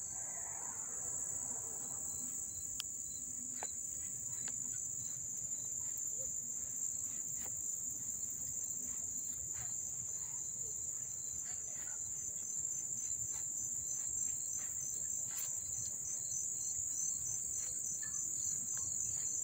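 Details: Crickets chirping up close in Dobbs Ferry, New York, on August 1, 2014: a dense, continuous high-pitched shrill drone that holds steady throughout, with faint scattered clicks and a low background hum.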